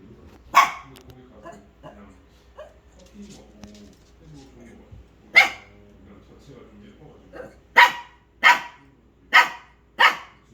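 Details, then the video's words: Pet dog barking at something, sharp single barks, one early, one midway, then four in quick succession near the end, with quiet talking in Korean in the background. "My dog was barking at something."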